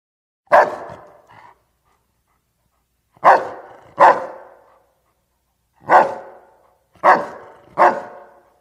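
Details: Dog barking in sharp, harsh single and paired barks with gaps of one to two seconds, six barks in all, each ending in a short echoing tail.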